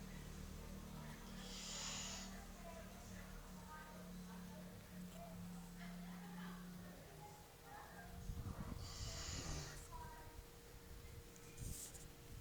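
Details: Great Dane snoring quietly, with two breathy, noisy snore bursts, one about two seconds in and another near nine seconds, over a faint steady low hum.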